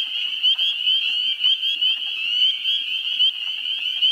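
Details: Spring peepers in a swamp in New Hampshire in early April, with a constant high-pitched chorus. Individual rising peeps stand out about every half second. Wood frogs give faint low clucking in the background.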